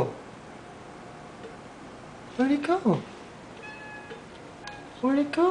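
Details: Domestic cat Molly chattering at a dragonfly, giving short bursts of rapid, bending chirps, one cluster midway and another at the end, while a person's voice murmurs in between.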